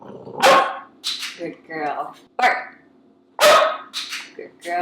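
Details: Pet Cavalier King Charles Spaniel practising a newly learned bark-on-command trick during clicker-and-treat training; loud, harsh barks burst out in close succession, partly overlapping a person talking indoors.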